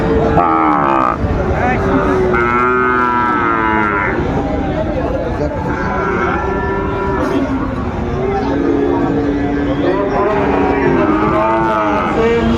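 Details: Sahiwal bull calves at a cattle market on 13 February 2025, where a farmer from Kushtia is buying: several long harmonic moos overlap, some rising then falling, with cattle lowing throughout, crowd murmur and occasional men's voices.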